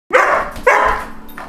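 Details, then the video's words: A dog confined in a crate barks twice in quick succession, each bark a harsh broadband burst followed by a short fainter yelp near the end. "barking in crate"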